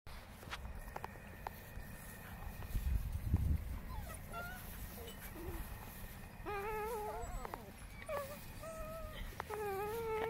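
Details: German Shepherd puppies during play wrestling: thin, high whines that rise and waver, coming in a cluster of several calls through the second half, over a steady low rumbling background and a few soft knocks earlier on.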